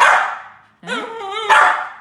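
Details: A poodle puppy gives short, high-pitched barks, one with a tonal, rising yip, with laughter nearby.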